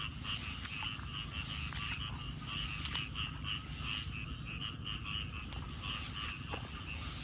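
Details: Frogs calling as someone goes looking for them: a continuous chorus of short, pulsing croaks repeating rapidly in two pitch layers, with occasional louder notes, over a low rumbling background and a steady high-pitched hiss.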